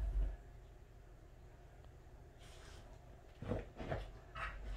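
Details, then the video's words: Welsh Corgi at home in its happiest mood, giving a few short, low whimpering vocal bursts in quick succession near the end after a quiet start, with light room noise throughout. "강아지가 기분이 가장 좋을때 하는 행동"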